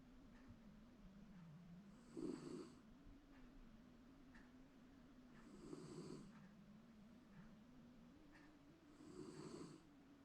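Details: A domestic Shiba Inu dozes contentedly at home, seemingly dreaming, giving gravelly snores that rise into three rasping peaks spaced about three and a half seconds apart, with faint soft ticks between them.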